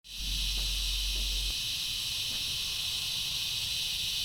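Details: Unidentified insects calling loudly from a tree in a front yard, described as strange chirping or buzzing; a steady, dense high-pitched buzzing hiss runs unbroken throughout, with a low hum in the first second and a half.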